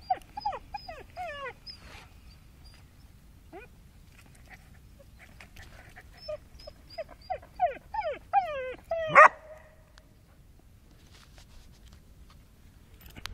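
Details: Young abandoned Podenco, under a year old, living on the street in Murcia: bursts of high, whining whimpers that fall in pitch, clustered at the start and again around six to nine seconds, with one sharp yelp-like bark near the end.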